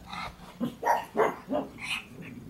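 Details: Pet pug barking at the door after thinking someone was there, toy held in her mouth; a series of four short, stifled barks about a third of a second apart, followed by a brief higher yelp, indoors.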